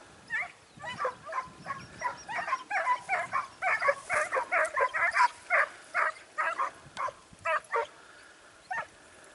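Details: Clear, quick yelping barks from a Segugio Italiano on a training outing at Sofiko, Evros, dated 12 September 2018. The barks come in a steady rapid run, spacing out toward the end.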